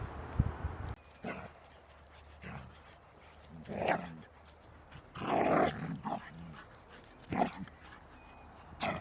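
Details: Young black female hound named Nitsa playing outdoors in nature, chasing mice; scattered short rough barks and yelps at irregular intervals, with a person's voice and rustling in the background.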